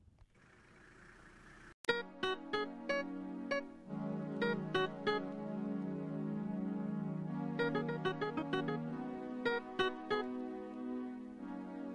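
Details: Piano and keyboard music plays steadily throughout, with a sharp click near the start and no animal voice.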